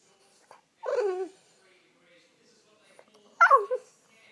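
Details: French Bulldog giving a wake-up call to its owner: two separate whines, the first sliding down, the second higher and wavering, with quiet pauses between in an indoor room.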